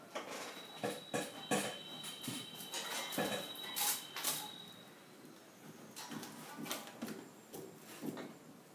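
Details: An indoor Basenji, happily wagging his tail on spotting a squirrel outside the window, gives a run of short, irregular yelping and yodel-like calls, about two or three each second.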